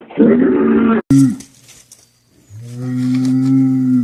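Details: Cattle bellowing in short cut-together bursts: a rough, brief moo, a sharp start, a quiet stretch, then a long, steady, deep moo that holds level for over a second and a half.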